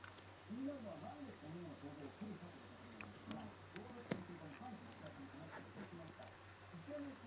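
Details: Shiba Inu puppy named Kutsu crying at night after lights-out, about five days after arriving, in a litter-record of it learning to walk, see and hear; soft, arched, rising-falling whimpers repeated in quick succession over faint background hum.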